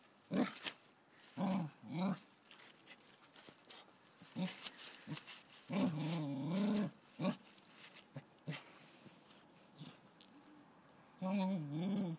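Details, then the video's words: Female cocker spaniel puppy scared during her first encounter with a caterpillar one summer: low, rumbling growls and throaty grumbles in short uneven bursts, some drawn out for about a second, with brief clicks and handling noise between them. "Cocker spaniel puppy scared of a caterpillar"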